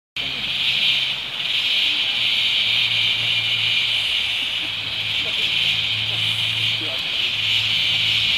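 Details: Steady, high, hissing insect chorus droning without pause in the rainforest of Tamborine National Park, Australia.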